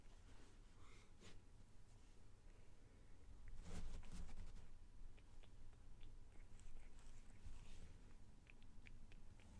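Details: A male domestic cat purrs in a low, steady rumble while being petted, beneath soft rubbing and brushing sounds.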